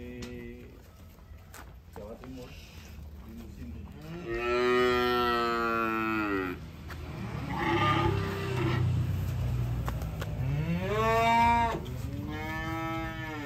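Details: Cattle being unloaded from a truck in Indonesia, lowing in long harmonic moos, one swelling from about four to six seconds, more around eight and eleven seconds, with voices and background noise between calls.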